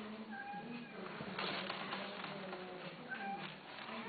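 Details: A cat gives two short, steady meows, one early and one near the end, against a backdrop of low murmuring voices and a constant hum.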